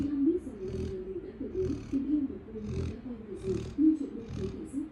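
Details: Labrador Retriever snoring while asleep; soft rasping breaths repeat about every second in a steady rhythm, over a constant low hum in the background.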